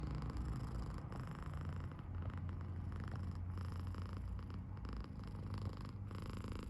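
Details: British Shorthair cat Potty, a seven-month-old male kitten living in Tokyo, purring when happy with a loud snore-like sound; a low, steady rumbling drone holds throughout with little break.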